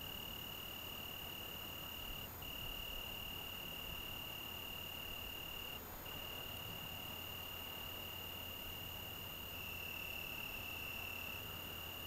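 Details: Evening song of an Italian tree cricket in the Algarve in June: a clear, level high trill interrupted only by two very brief breaks, over a soft, steady night hiss.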